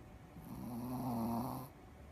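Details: Ruby, a Shih Tzu kept as the mascot dog of a Sakado indoor tennis school, snoring while asleep on 10 March 2018: a single drawn-out snore of about a second and a half, a low steady buzzing tone with a breathy hiss, in a quiet room.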